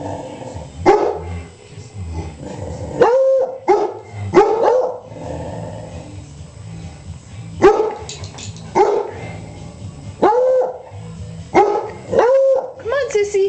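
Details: Puppy Beagle Sissy joins older Beagle Gonzo and black Lab Snoopy in a noisy session of barks and short howls, loud bursts separated by pauses of one to two seconds, some notes bending down at the end.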